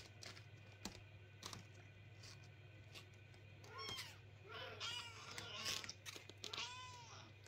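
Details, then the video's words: Kittens calling at night, keeping owners awake: first a stretch of quiet rustling and tapping over a steady hum, then a cluster of thin, rising-and-falling meows in the final few seconds. "Как котята ночью кричат и не дают спать хозяевам"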